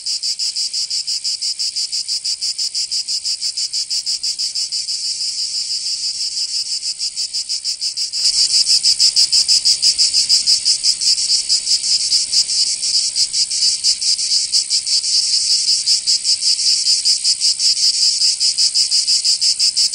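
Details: Cicadas in summer in Provence, southern France, giving a steady high buzzing pulse near three beats per second. About eight seconds in, the chorus abruptly grows louder and fuller, then keeps throbbing to the end.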